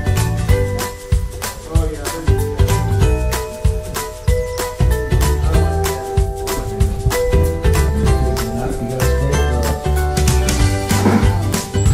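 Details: Upbeat music with jingling and tinkling instruments plays loudly, with faint speech underneath and no animal sounds heard.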